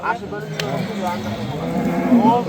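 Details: Simmental cows at the Shahrixon livestock market give a low, drawn-out harmonic moo that holds steady for about two seconds. Men bargaining over prices can be heard around it, along with general market background noise.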